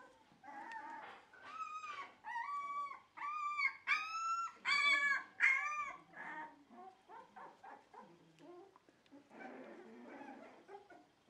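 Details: Shiba Inu and Samoyed breeder's dog in the Netherlands, 4 November 2018, freshly cleaned bed. Series of sliding, yodel-like howls and whines, loudest around four to six seconds, then shorter quieter whimpers trailing off.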